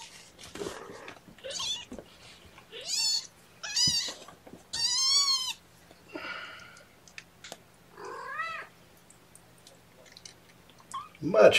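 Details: Hungry kittens at an early-morning syringe feeding on 8 May 2018 cry in a run of high, quavering meows, some rising and falling. The calls come roughly every second, with quiet pauses and soft clicks between them.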